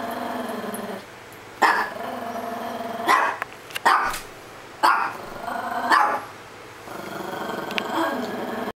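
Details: A Chihuahua playing hard, with a steady rumbling growl broken by sharp, noisy barks roughly once a second. A second dog nearby stays oblivious. The growl drops away briefly, then resumes near the end.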